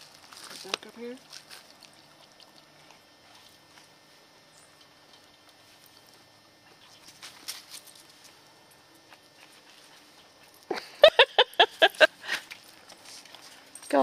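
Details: Katie, a 10-year-old Scottish Terrier on squirrel patrol in the yard, November 2008, chasing squirrels: after quiet stretches with faint human voice, a rapid run of about eight sharp, evenly spaced barks sounds near the end.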